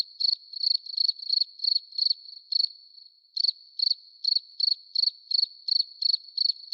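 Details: Cricket calling near a light-bulb trap set at night to catch crickets: a high, clean chirp pulsed about three times per second in short trains, with a brief pause midway, over an otherwise quiet background.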